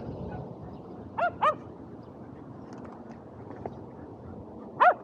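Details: Shetland Sheepdogs Power and Beat at frisbee play outdoors on a sunny 23 February 2022; a pair of quick, clipped barks near the start, a lone faint tap later, then one more sharp bark at the end amid low ambient hum.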